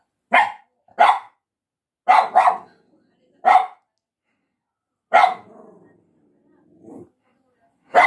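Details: Barking at a person by a dog, Shiba Inu and Yorkshire Terrier tagged: a run of short sharp barks, some paired, followed by a drawn-out bark trailing into a low grumble, then a soft whine and a final bark.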